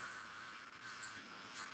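A periodical cicada gives a harsh, steady, hissing buzz, its alarm call to startle a predator.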